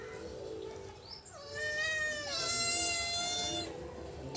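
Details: Tabby cat and black cat, enemies that don't like each other, indoors: one long, sustained moaning yowl lasting about two seconds, pitch sliding down then holding steady, preceded by a brief high squeak.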